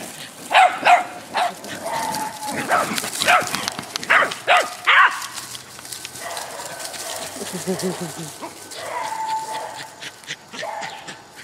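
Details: Dogs at play: a Shar-Pei named Mr Lee and a Doberman named Eternal play together while Jack, a Jack Russell Terrier, wants to join. Several sharp, harmonic barks and yips come in quick bursts over the first five seconds, with quieter grumbling after.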